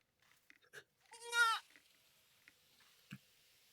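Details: At a building site in the Philippines, one of two goats that follow a woman like dogs gives a single short, wavering, nasal bleat rich in overtones, heard as crying.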